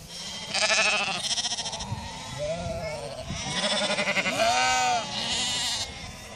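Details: Icelandic sheep bleating in chorus: several overlapping, wavering, tremulous bleats in loud bursts across the recording, with short quieter gaps between the calls.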